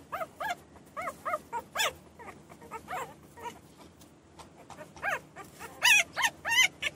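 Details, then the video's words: Several newborn puppies whimpering and crying in short, chevron-shaped squeaks, often paired, repeated about every half second with quieter gaps, ending in louder, sharper cries; no other sounds stand out. "Puppies Crying and Whining Sound Effects | New born Puppies"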